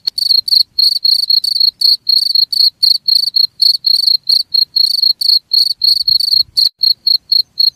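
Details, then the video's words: Cricket chirping, played as a sound meant to drive rats away: loud, high, ringing pulsed chirps repeated about four times a second in a steady run, a few shorter softer chirps near the end, with no other sounds. "SUARA JANGKRIK"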